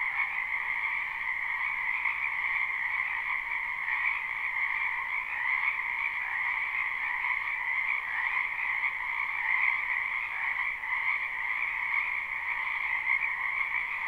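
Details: Many wild frogs calling in a spring wetland, live recording without looping: a dense, unbroken chorus of high trilling croaks in two steady pitch layers, slightly swelling and fading, with no other animals or people heard.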